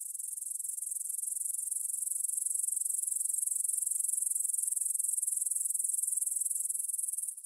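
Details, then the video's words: Grasshoppers in a field near the Svensky monastery, Bryansk, Russia, stridulating at 9pm on September 6, 2020, recorded on a Tascam DR-44WL; an unbroken thin, very high chirring trill holding steady before fading at the end. "кузнечики на лугу – Grasshopper Sounds in the Field"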